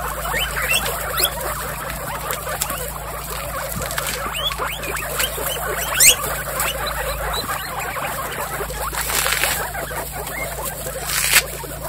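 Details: Pet guinea pigs from a household herd of 28, mostly females, give a busy chorus of short, rising squeaks and chirps that overlap irregularly, with a louder burst near six seconds, over a steady low electrical hum.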